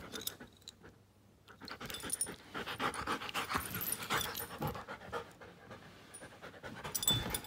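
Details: Giant schnauzer Klara, one year five months old, breathes in rapid rough pants, roughly four breaths each second, fading briefly before rising again, with a faint high squeak at the close.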